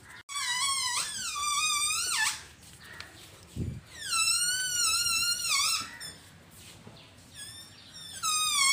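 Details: A Labrador puppy, afraid of a balloon sound, gives long, high, wavering whines, drawn out and sliding up and down.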